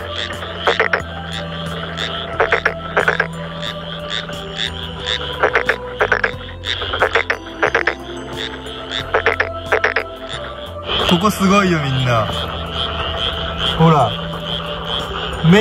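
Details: A chorus of frogs at night in spring by rice paddies during breeding season, with Japanese brown frogs and Tokyo Daruma pond frogs present, gives repeated rattling, pulsed croaks, with background music underneath.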